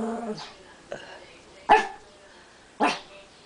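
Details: Pet Brussels Griffon, Barley, at home with a second dog: two loud, abrupt single barks about a second apart, after a soft yip and human speech at the start.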